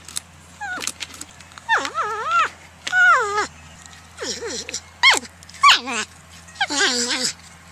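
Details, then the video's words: Porcupine producing a run of wavering, whimpering cries that rise and fall in pitch, some quavering, others sliding down, in close succession against a faint low hum. "PORCUPINE SOUND EFFECT 호저 울음소리"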